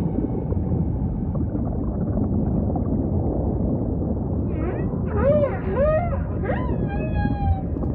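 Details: Humpback whale singing: after several seconds of deep ocean rumble, a quick string of arched, rising-then-falling cries comes in near the end, followed by a short higher tone.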